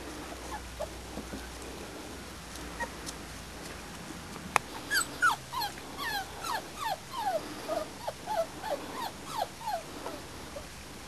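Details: Springer Spaniel puppies about four and a half weeks old, a litter outside for the first time; rapid high squeaky yips and whines repeated roughly three times a second from about five seconds on, over steady outdoor background noise.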